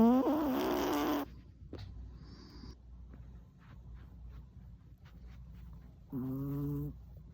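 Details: Sleeping four-year-old male Chihuahua Tuna, tired out by an hour's walk, lets out a rasping snore, falls quiet for several seconds, then gives a shorter, lower, humming snore.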